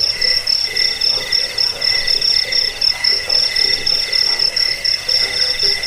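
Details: High ringing chirps of a cricket, played to repel rats, lull listeners to sleep and tutor songbirds; rapid regular pulses, nearly four per second, form a nonstop shrill trill.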